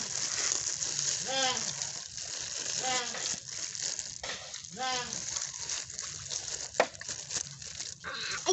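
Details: Goat bleating three times, each a wavering, nasal, arched cry about a second and a half apart, over steady splashing, sloshing water noise and faint background hiss.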